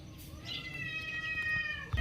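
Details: A domestic cat gives one drawn-out, tonal meow lasting almost two seconds. It starts at a higher pitch and slowly slides downward, with a soft low room rumble underneath.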